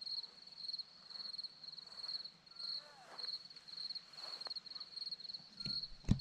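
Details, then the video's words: Continuous shrill chirps of crickets on a hillside in Zorlesti, Romania, rhythmic pulsed bursts about twice each second, with faint distant bird notes and a sharp click near the end. "Crickets sound"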